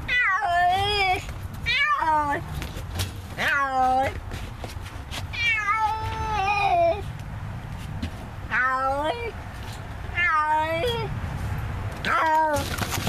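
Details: Stray feral tomcat trapped for trap-neuter-return in a neighborhood, yowling long wavering meows in a steady series about every one and a half seconds, each bending up then down, over rattling of the trap.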